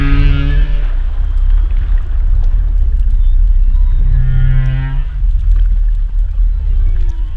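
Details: Humpback whale underwater, producing long steady harmonic tones like drawn-out moos, one at the start and another midway, with a faint rising squeal near the end, amid continuous low hissing rumble.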